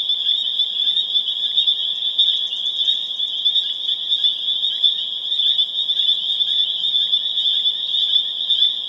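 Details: Dense April chorus of spring peepers recorded April 27, 2011 in Harvard, Massachusetts, many frogs piping together into a loud, steady, high-pitched ringing with rapid overlapping peeps throughout.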